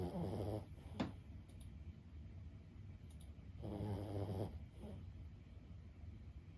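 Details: Lulu, an elderly 15-year-old Boston Terrier, snores in her sleep: two rough, vibrating breaths about three seconds apart, plus a sharp brief snort between them, over a low room hum.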